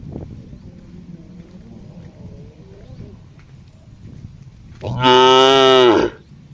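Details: Tame cattle grazing as a herd on a wide green field, answering one another with moos; after several seconds of quiet background a single loud, deep, harmonic-rich moo lasts about a second.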